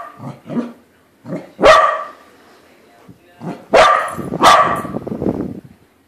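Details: A corgi reacts to a balloon corgi with scattered low grumbles and short yips, then loud sharp barks, one alone and then a close pair followed by a rough trailing growl.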